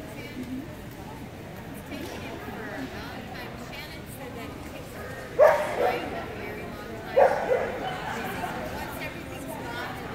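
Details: Keeshond at the Rocky Mountain Keeshond Club 2019 juniors event giving two sharp, separate barks almost two seconds apart, each a short broad burst, over steady background chatter of people talking.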